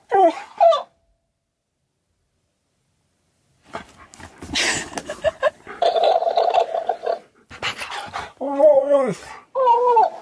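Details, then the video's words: Indoors, pet Siberian Husky K'eyush confronts a dancing, talking cactus toy with a pair of quick warbling yowls, then after a gap more bending, whiny howl-like calls amid a person's voice and the toy's noise. "Husky Argues With Cactus That Talks And Dances!"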